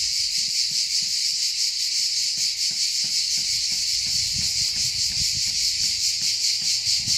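Cicadas sing a loud, continuous, shimmering buzz that pulses slightly without pause.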